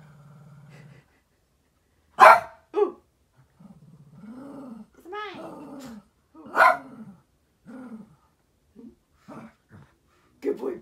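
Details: Shih Tzu pair known as the Furry Duo, with MoMo, reacting indoors to a new orthopedic cuddler bed: sharp loud barks, short whiny growling calls between them, and a person's voice coaxing and praising.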